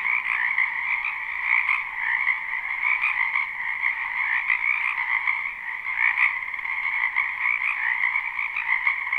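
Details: Many frogs croaking in a wetland behind a house in spring, recorded live without looping: a dense, continuous chorus of overlapping trills in two bright bands, pulsing unevenly with no pauses.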